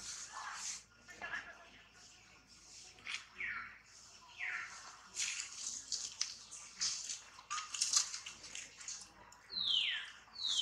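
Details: Tantrum cries from baby monkey Tobais as mother Toma treats it roughly: a series of short, high, downward-sliding squeals scattered across the stretch, ending in a louder falling scream, amid rustling and watery noise.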